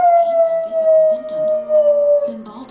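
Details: Pet dog at home singing along to a Cymbalta TV commercial, the only commercial or programme that sets him off: one long, steady, tonal howl sliding slowly downward in pitch, with the commercial's narrator talking underneath.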